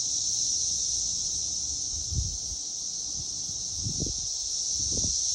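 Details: A chorus of cicadas, recorded in 2021, holds a continuous, shrill, buzzing drone at a high pitch from start to finish, with a few soft low thumps or rustles beneath the song.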